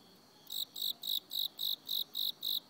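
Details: In autumn a cricket gives bright, pulsed chirps, evenly repeated about three times a second.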